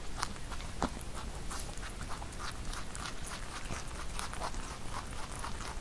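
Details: A rabbit eats Korean melon with quick, wet crunching chewing clicks repeated in an irregular rhythm.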